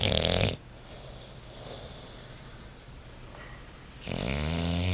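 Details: Bluto the Bulldog snoozing on a couch: the tail of a loud rattling snore, a few seconds of quiet breathing indoors, then a new rough, wavering snore begins.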